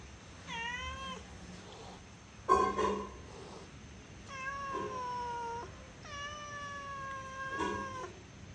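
A cat makes long, tonal yowls, each held for about a second, and some slide slightly in pitch. Between them comes a brief, explosive hiss, the sound of an angry cat.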